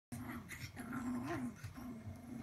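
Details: Papillon puppy, low steady growling with a slight rise in the middle, indoors.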